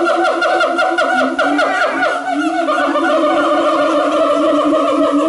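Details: Siamang at Taipei Zoo, 5 September 2015, warning others off its territory: loud, harmonic-rich tonal calls that waver and pulse rapidly in the first half, then settle into steadier sustained notes to the end.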